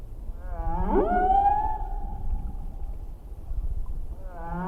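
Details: Humpback whale song recorded in 1979, courtesy of Ocean Alliance, with a quick rising sweep settling into a sustained tonal wail lasting about two seconds. Another upward sweep begins at the end over a deep rumbling background.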